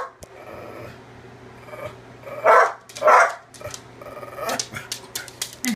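A Cocker Spaniel gives two short, rough, throaty growling bursts in quick succession.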